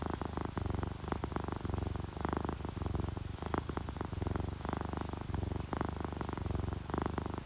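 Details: Domestic cat purring while relaxed and happy, from a sleeping orange tabby and calico pair, with rain: loud, deep rumbling purr in clear breath-by-breath bursts, each about half a second, steady throughout.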